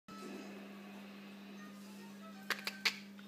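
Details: A room with a steady low electrical hum and faint television sound, then three sharp clicks near the end, with no animal voice.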